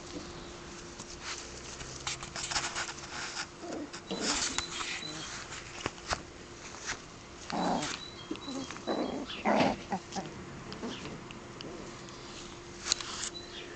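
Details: Shetland Sheepdog puppies, five weeks old, at the Perla z Polabi kennel in the Czech Republic on 30 May 2009, giving scattered rough growls and a few whimpering yelps between clattering noises.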